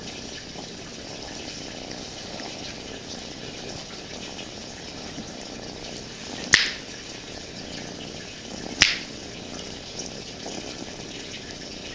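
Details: Steady broadband hiss with two sharp knocks, no animal voice present.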